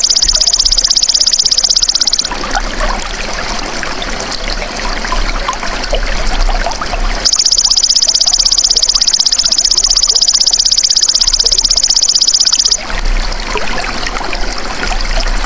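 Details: Golden grasshopper (belalang emas), kept as a tutor sound for songbirds. It gives two long bursts of high, rasping, evenly pulsed trilling that start and stop abruptly. Trickling water fills the gaps between bursts.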